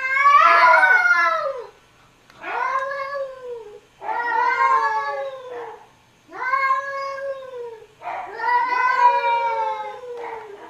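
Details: Cats talking to each other: five long, drawn-out, harmonic meows, each rising then sagging, spaced about two seconds apart with brief pauses between, in a quiet setting.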